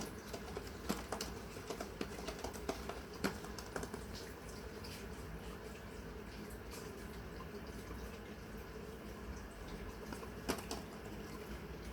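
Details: Quiet indoor room noise with a soft watery hiss and scattered light taps and clicks; no animal sounds.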